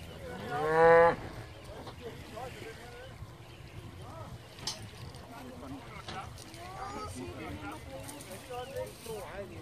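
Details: Hereford cows with calves arriving on Skarø, Denmark, by boat from Tåsinge on 13 April 2016 for summer grazing: one short loud moo at the start, then faint speech and outdoor noise.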